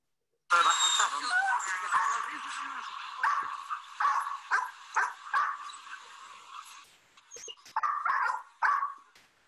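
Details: Hounds bay and bark in a loud, overlapping chorus after driving a puma up a tree, with yelps fading into broken bursts.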